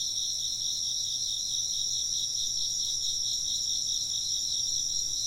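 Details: Chirping insects form a steady, dense high-pitched chorus of quick rhythmic pulses stacked in two bright layers, constant throughout.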